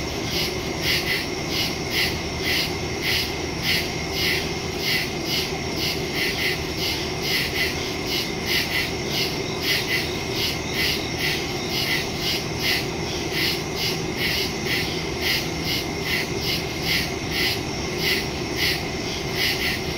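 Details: Crickets chirping in the woods at night on September 2, 2023, captured by phone with stereo microphone; dense fast high pulses from many callers form an unbroken chorus over a steady low hum.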